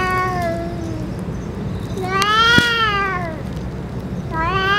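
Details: Stray boss cat after being given food and medicine; a falling meow, then a louder rising-falling meow with a sharp click at its peak, and another meow beginning at the end, over low rumble.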